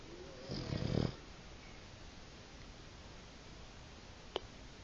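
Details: A fast-asleep Boston Terrier blowing snore bubbles gives one rough, low, rattling snore, then the room falls quiet.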